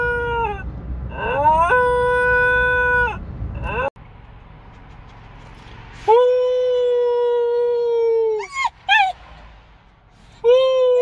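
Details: Young pet dog howling while waking from anaesthesia after neutering surgery: long, steady, tonal howls rich in overtones, broken by short pauses, with a couple of brief rising yelps near the end of the second howl.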